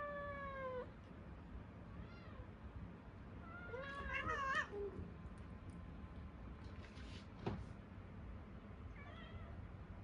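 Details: Hungry Munchkin cats meowing indoors: a few wavering meows, a louder cluster in the middle, then quieter stretches with a soft knock and a last faint meow.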